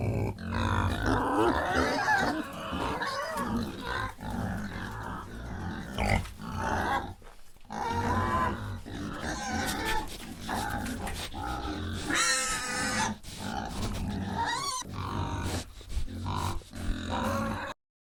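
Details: Real pig sound for toddlers learning farm animal noises: deep, rough grunting continues throughout, broken by a brief, high, wavering squeal midway, then more low grunts until it cuts off abruptly near the end.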